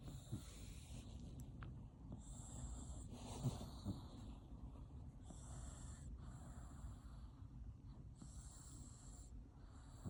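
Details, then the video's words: Dog asleep and snoring loudly, a steady train of raspy snorting breaths roughly twice per second, with intermittent hissy high-pitched noise bands coming and going. "코골이가 남편보다 심한 강아지"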